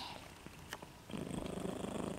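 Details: Sleeping pet dog, tongue out, snoring: a quiet start with a soft click, then regular low rumbling snore pulses begin and continue evenly to the end.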